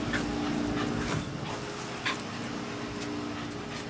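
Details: A corgi gives short, sharp yips and whimpers over a steady hum as he attacks another dog, a reaction triggered whenever he's asked "you wanna go home?"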